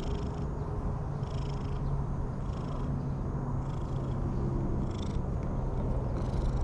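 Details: Friendly orange-and-white cat being stroked, giving a steady low purr that hums continuously for the whole stretch, with soft rustling touches and a few brief higher scratchy bursts over a constant low background rumble.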